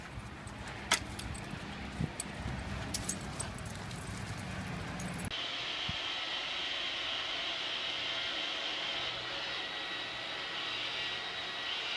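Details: Outdoor rumble and clatter from passing vehicles and jangling keys gives way to a steady hiss, with no animal heard.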